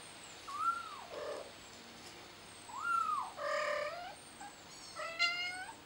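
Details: Scared kitten calling out for its mother: arched, rising-then-falling meows and harsher, harmonic-rich cries in quick succession, about four calls over six seconds, with faint high chirps in the background.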